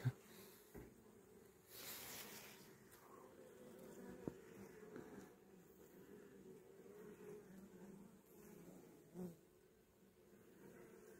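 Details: Low, layered humming of a caught honey bee swarm being given a young queen, steady and soft, broken by a short hissing rush and a few faint clicks.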